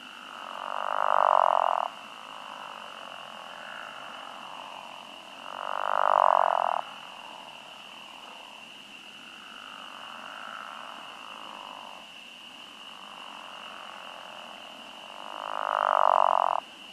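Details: Pickerel frogs at a farm pond on a warm early-spring night in 2021 give loud, low, comical groaning snores, each about a second long, over a steady high-peeping spring peeper chorus, with occasional short green frog calls.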